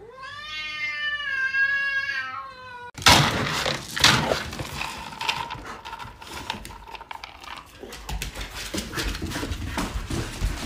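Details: Pet cat indoors with a sustained meow about three seconds long that dips slightly in pitch, followed by loud rustling, thumps and handling noise.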